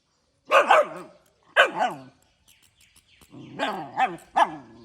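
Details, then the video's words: Morning barking from a puppy: three separate bursts of shrill, harmonic yaps that bend up and down in pitch. A double yap comes first, then a single, then a longer run of three after a short pause. "ลูกหมาเห่าอะไรแต่เช้าๆ ตามมาดูกัน"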